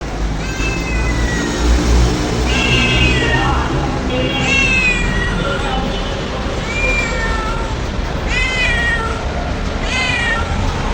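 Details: Domestic cat crying with repeated harmonic meows, each rising then falling, about six calls over eleven seconds, some drawn out and wavering, over a steady low rumble of background noise.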